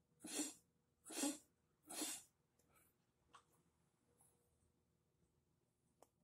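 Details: Shiba Inu suffering lung involvement from spreading lymphoma, coughing constantly since early morning; three harsh, explosive coughs in quick succession roughly every second, then quieter raspy breaths and small clicks in a still room.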